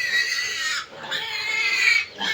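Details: Piglets about 25 days old with their sow in a backyard piggery; loud, high, strained squeals held for nearly a second each, with a short gap between two long bursts and a third starting at the end.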